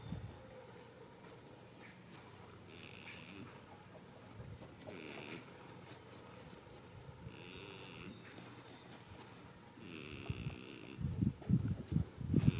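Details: A goat dozes in a field on the first spring day, giving soft, wheezing snores roughly every two to three seconds. Louder low thumps and rustling take over near the end.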